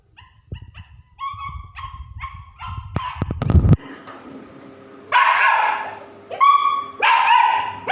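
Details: German Shepherd puppies whimpering in a run of short, high, tonal yips, then a burst of loud clattering knocks, followed by longer drawn-out whines that rise and fall.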